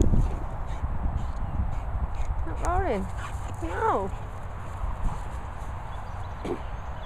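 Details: American Bulldog puppy playing with a toy dinosaur; two short, wavering, whiny calls a second apart, each bending up and down, over steady low rumbling noise, with a man speaking briefly.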